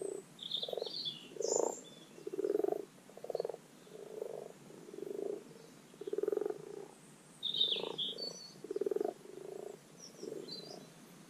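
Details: Common frogs (Rana temporaria) give their spring spawning call in a garden wildlife pond: low, soft purring croaks in quick, overlapping bursts, with faint high chirps behind.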